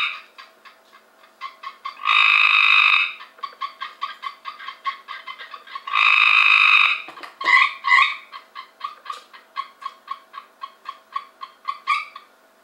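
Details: Cope's gray treefrogs caught from a pool in 2015: two loud, harsh buzzing trills about a second long, separated by a steady series of shorter rapid pulsed notes, with more scattered pulses toward the end.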